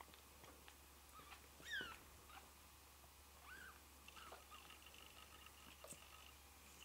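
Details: Newborn Ragdoll kittens (Noa), two hours after birth: one thin, high mew slides sharply downward near the two-second mark, then two softer, shorter mews follow, over faint rustling, small clicks and a steady low hum.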